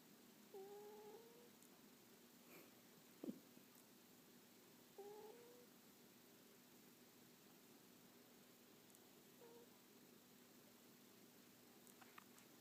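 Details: Pet cat named Smore asleep on a person's lap, snoring: faint, short whistled nasal tones, rising slightly, recurring about every four to five seconds over a quiet indoor hush, with a soft thump between them.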